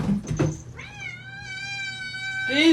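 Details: Domestic cat giving a long, steady, tonal meow lasting about a second and a half, evenly pitched with rich overtones, ending in a rising cry, after a brief burst of human speech.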